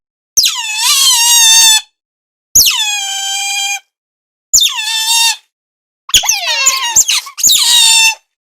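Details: Otter calling in a zoo: five high, shrill squealing calls of one to one and a half seconds each, falling in pitch at the start and holding steady, with short silent gaps between, the last two close together.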